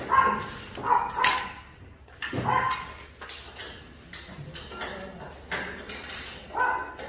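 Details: Dogs at the Mindeulle Shelter, an abandoned-dog shelter in Yangsan, South Korea, during scaffolding removal work; several short, harsh barks in uneven bursts, some overlapping, with background clatter.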